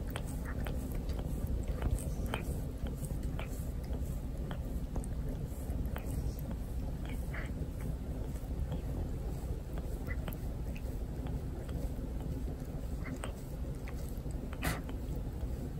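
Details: Cat repeatedly grooming its human owner at home, its tongue rasping loudly enough to hurt. Long run of irregular dry scratchy clicks and soft wet smacks over a constant low indoor drone.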